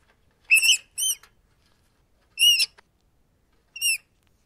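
A rat gives four short, high, harmonic squeaks over a few seconds of silence.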